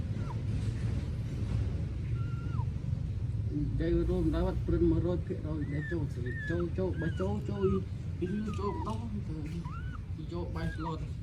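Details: Newborn puppies in Cambodia, filmed on a phone, give thin high squealing whimpers that arch up and fall, several in quick succession, while a woman talks in Khmer throughout over a low rumbling background.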